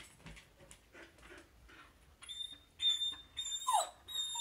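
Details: Pet Samoyed indoors, eager to play as its dog friend passes by outside; soft low snuffles first, then a long, steady, piercing high whine like a tea kettle, breaking and resuming several times.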